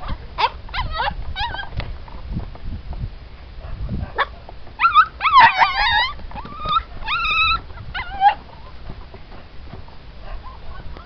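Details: Siberian Husky puppies from a litter of show and racing lines, several pups together; thin high whines and yelps, some rising then falling, in scattered bursts with short sharp squeaks between, over low rumbling background.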